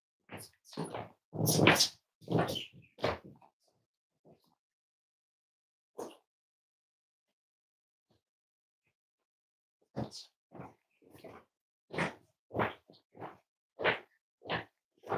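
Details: Indoor Cavalier King Charles Spaniel puppies, five weeks old, at Red Barn Cavaliers during a morning weight-check session: a burst of loud harsh yips and barks for three seconds, a long quiet gap, then rapid short yips about twice per second.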